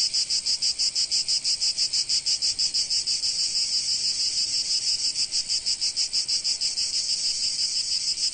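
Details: Cicadas singing in sunny Provence: a dense, shrill, high buzzing chorus that throbs in steady pulses about three times a second, with no other sounds.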